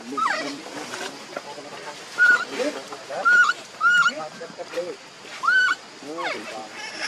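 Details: Newborn baby monkey named Leo, very hungry and begging its mother for milk: short, piercing whistled cries, several held on one steady high pitch, others sweeping up or down, coming about once a second over soft rustling.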